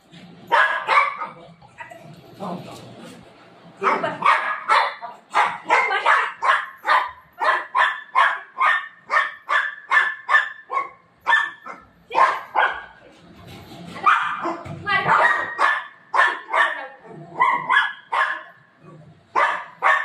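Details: Playful pet Golden Retriever barks in fast, excited runs, many short yaps in quick succession with brief gaps, while a person's voice talks in the background.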